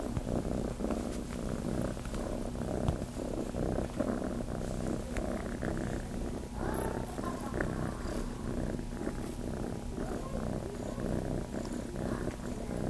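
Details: Chase, a kitten living at Starlight Farm, purrs while looking to nurse; a steady low rumbling purr with rhythmic pulses runs throughout, with faint soft clicks and rustles above.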